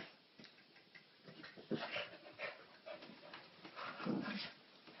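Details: Playful tussle between a small white male Maltese and a female Bulldog, biting and jumping on her; irregular whimpers and snorts with a drawn-out whiny cry near the end amid scuffling.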